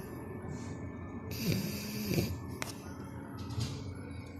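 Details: Young French Bulldog Canon, four months old, snoring while asleep: a drawn-out nasal rasp with a thin whistling, wavering tone, followed by a brief snort and softer wheezy breaths.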